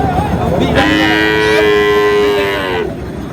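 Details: At the Ambari haat in Manikganj on 14 August, where Sahiwal bull calves are sold, a sustained steady moo of nearly two seconds sounds amid busy market voices and price bargaining.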